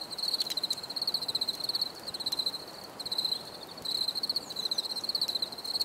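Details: Crickets chirping for relaxation, a steady high pulsed trill in bursts of about a second, separated by brief pauses, with a fainter second chorus and faint background hiss.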